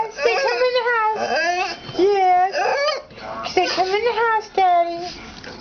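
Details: Pug whining excitedly indoors as its owner comes home: long wavering high whines, rising and falling, in several bursts, with a woman talking to the dog.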